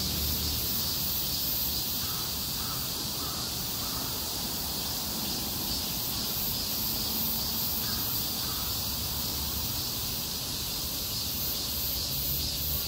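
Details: A continuous, shimmering high buzz from cicadas singing together on a street in a heatwave, with a few faint crow-like caws in the middle distance.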